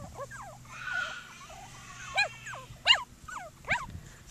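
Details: Seven Cockapoo puppies at play outside: a run of thin whimpers, then three sharper yips about a second apart, each a quick high squeak dropping in pitch, over a low background hum.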